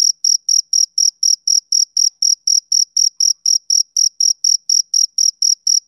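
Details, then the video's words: Rhythmic chirps from a male cricket, summer evening; short bright pulses of high pitch follow each other roughly four per second for six seconds, evenly spaced, against complete quiet. "Cricket Chirping Sound Effect"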